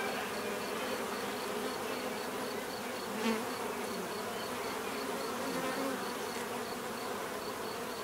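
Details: Natural bee buzzing: an even, droning hum of many insects, with one brief louder buzz passing close by near the middle and a soft rhythmic high ticking underneath.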